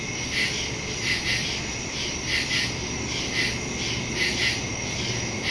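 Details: Night chorus of crickets in woodland, taped September 2, 2023 on a phone with a stereo microphone; an unbroken high-pitched ringing drone overlaid by irregular clusters of brighter chirps, often in pairs.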